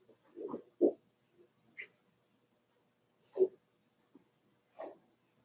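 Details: Daisy's Cavalier King Charles Spaniel puppies, four weeks old, in the puppy pen: a few short grunting whines and squeaks spaced by pauses, one brief high squeal among them.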